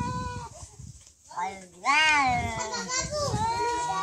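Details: Fighting cats trading warbling yowls that bend up and down in pitch, a quiet gap before a loud rising-and-falling cry, with shuffling and low background noise.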